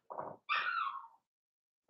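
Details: Cavalier King Charles Spaniel puppy, blenheim colour, from a litter born on New Year's Eve and Day, kept indoors: a low grumbling sound followed by a loud whine that falls steadily in pitch.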